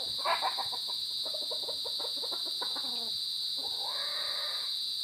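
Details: Crickets recorded in the afternoon of 23 January 2021, around 2:31 PM, make a steady, unbroken high-pitched trill throughout, while lower stuttering calls of other animals break in over the first four seconds.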